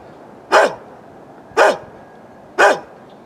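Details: Three evenly spaced, forceful barks about one second apart from an elderly neighbour's dog, recorded on a Canon Vixia HF R800, against a faint constant background hiss.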